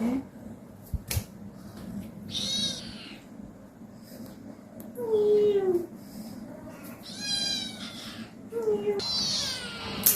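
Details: Pet cats being played with by a woman indoors; about five drawn-out, nasal meows over ten seconds, some bending down in pitch, others rising then falling, separated by short gaps, with a woman's voice talking and a sharp click early on.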